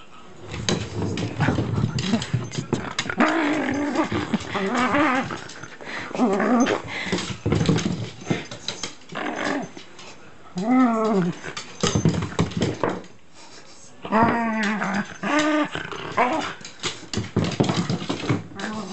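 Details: Shiba Inu switched into play mode, holding and playing with packing tape: drawn-out, growly moaning vocalizations that waver and bend in pitch, coming in bursts separated by short pauses, with clattering handling noises and a brief human voice.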